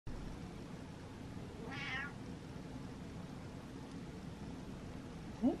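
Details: Domestic cat indoors giving a single soft meow, a short harmonic call with a slight rise and fall, followed by quiet room noise and a brief low sound near the end.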